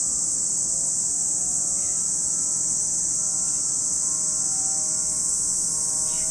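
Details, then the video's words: Cicadas at Lake Kamo, Sado City, Niigata Prefecture, Japan, keep up a steady, high, hissing drone without pause, with a faint low hum and a few brief chirps underneath. "Lake Kamo in Sado City, Niigata Prefecture, Japan, where you can hear the voice of cicadas."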